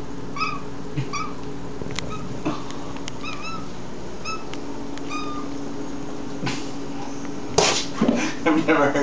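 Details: Pet cat Mew chirps and mews at a crane fly it cannot reach. A rapid string of short, high, bright chirps comes at irregular intervals, with faint tapping between them. Rustling and a person's voice come in at the end.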